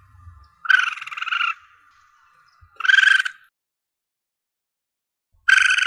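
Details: Asian palm civet youngster calling, audio used by hunters to draw in the animal: three drawn-out, grating mewing squeals, the first nearly a second long, separated by long silent gaps.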